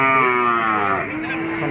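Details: Market bull at a weekly cattle fair, one sustained, richly harmonic moo held for over a second, then easing lower as it fades, with people talking close by.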